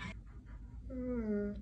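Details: An Alaskan Malamute gives a short, drawn-out, talk-like howl that slides gently downward in pitch, which the owner jokes is the dog calling them lazy.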